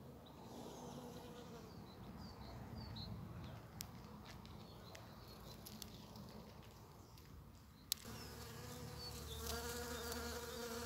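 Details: One of the first bumblebees of spring, out among snowdrops and primroses as nature wakes: a low droning hum with stacked tones, swelling louder after eight seconds, with faint distant bird chirps and a few sharp clicks.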